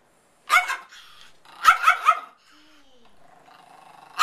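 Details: A female Pomeranian puppy, filmed indoors at a house on 16 February 2012, barks while spinning and chasing a crocheted toy. There is one sharp bark, then a quick burst of three barks, followed by quieter rustling and a faint thin tone.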